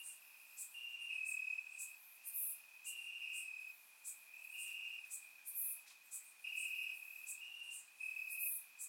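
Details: Crickets in grass on a summer night in Bulgaria, surround-recorded; shrill steady trill beneath short bursts of chirps repeating a few times per second, several insects calling together.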